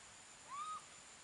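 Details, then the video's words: Young monkey left alone, calling for its mother: one clear whistled note, rising briefly, then held level and dropping away after about a third of a second, over steady background hiss. "calling - calling the mother who left him alone"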